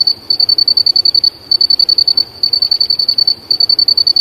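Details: Cricket chirping from the bush late in the afternoon, live recording: shrill high-pitched pulses in quick succession, grouped into bursts broken by brief gaps, steady and insistent, with faint low rumble beneath.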